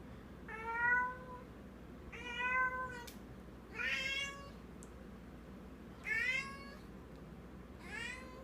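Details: Female pet cat with a new toy gripped in her mouth, believing it real, calling indoors with strange meows spaced one to two seconds apart, some brighter and harsher, each slightly rising then falling.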